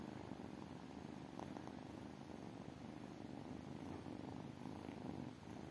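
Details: Tiny kittens purring, an even low vibrating drone that holds without pause, with only faint light clicks over the top.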